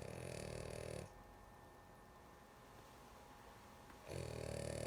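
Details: Drowsy female dog snoring, with a harsh, rattling inhalation lasting about a second, a three-second lull, then another rough snore starting, over a constant low room hum.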